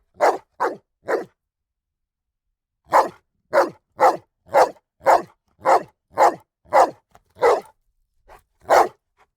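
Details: Three quick barks from a dog, a pause of nearly two seconds, then a long, fairly even string of sharp barks at close range, ending with a softer bark and a last loud one.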